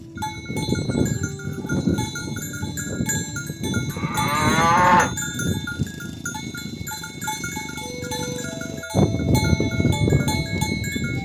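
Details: Cattle being herded to the rice field, calling friends to the pen: one short rising, harmonic moo midway, surrounded by steady ringing cowbell tones and rustling, shuffling noise.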